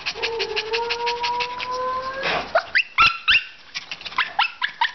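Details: Female Shih Tzu Little Jo, about a year old, at the Korean Animal Protection Society shelter in Daegu, South Korea: a thin, long whine rising slightly over two seconds, then quick panting breaths and a few sharp clicks.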